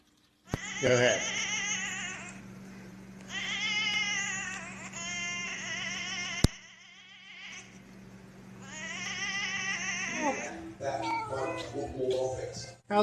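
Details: Cats giving long, drawn-out wavering meows, three extended wailing calls rising and falling in pitch with short gaps between, over a steady low hum, ending in a burst of clattering noise.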